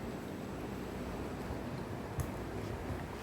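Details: Steady wind and low rumbling noise with a single brief click partway through, and no animal voice.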